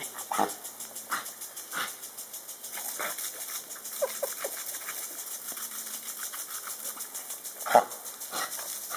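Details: A dog attacking a lawn sprinkler, giving short sharp bursts near the start, a few softer yips in the middle and a louder one near the end, over the steady rhythmic ticking and hiss of the sprinkler spray.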